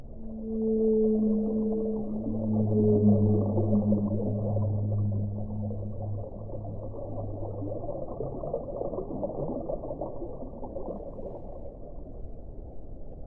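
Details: A whale's long low groaning notes, stacked tones sliding slightly and holding for several seconds before dissolving into a broad hissing wash of water-like noise.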